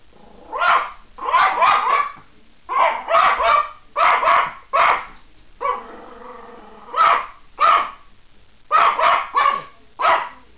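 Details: A dog barks at birds in quick bursts of two to four sharp, mid-pitched barks, with short pauses between volleys; a faint whine is heard in one gap.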